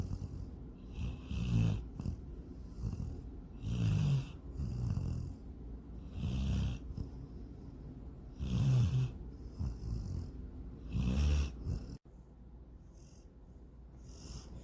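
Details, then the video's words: Sleeping female dog Sydney, dreaming of chasing a rabbit and swimming in a lake, snores steadily: rough, low rumbling inhales and airy exhales repeating about every two to three seconds, then stopping near the end. "My SNORING DOG SYDNEY!"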